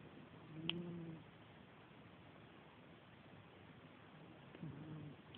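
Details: Sleeping little cat of 7 lb, phone recording: quiet, throaty snores near the start and again four seconds later, each a short rough buzz, with a single faint click and background hiss between them.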